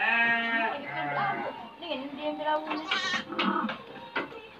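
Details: Crossbred F2 Dorper black-head sheep in a pen call with a long tremulous bleat, then shorter shaky cries near three and three and a half seconds, with faint music behind.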